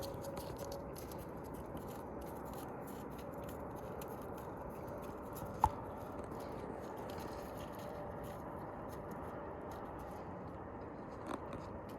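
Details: Low steady hum with faint clicks and a single sharp tap, and no animal call.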